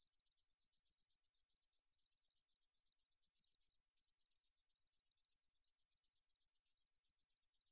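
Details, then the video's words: Meadow katydid (등줄어리쌕쌔기) song recorded for the National Institute of Biological Resources, 2020, a continuous, shrill stream of fast, regular pulses high in pitch, heard alone against silence. "등줄어리쌕쌔기, 여러번 듣기, 곤충소리"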